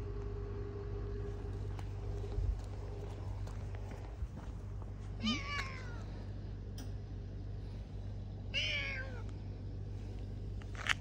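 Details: A cat in a park in Adachi, Tokyo, Japan, on 2 December 2022 walks beside its owner and pounces on them. It gives two short wavering meows a few seconds apart over a steady low outdoor hum.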